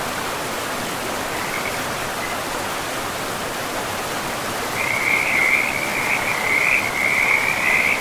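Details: Frogs by a river deep in a pristine forest; after a few seconds of steady rushing water, a rapid trilling chorus of high-pitched pulsed notes rises and continues over the flowing stream.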